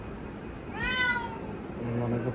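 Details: House cat waiting at the door, expecting it to be opened so it can go outside; one clear, slightly rising then falling meow, followed by a man's voice.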